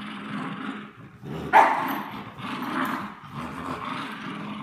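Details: Tug-of-war play between a French Bulldog and a Bichon Frise; a low rumbling growl with a sudden sharper yelp-like bark near the middle, then steady growling continues.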